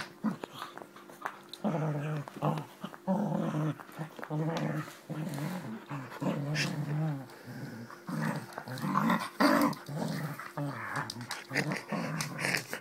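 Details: Springer Spaniel growling while play fighting indoors, a rough, rumbling growl that runs almost continuously in rising and falling bursts, broken by short snorts and clicks.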